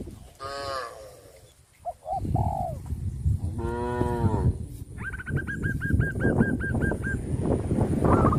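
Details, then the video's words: Tame village cattle in a herd call their companions with two drawn-out, harmonic lowing moos. A rapid train of high, evenly spaced chirping notes follows, over a steady low rumble. "suara kerumunan sapi lucu memanggil kawannya"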